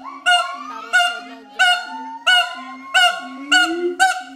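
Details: Adult mated pair of siamangs at Schmutzer Primate Center singing their duet to advertise territory: loud harsh barks roughly every 0.7 seconds over a steady low booming hum, with a long rising whoop running beneath.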